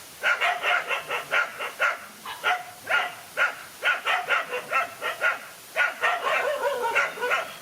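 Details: Dogs in a fight, one lone dog taking on two males: rapid, harsh barks and yelping cries in quick bursts, about two per second, with short pauses between volleys and no other clear sounds.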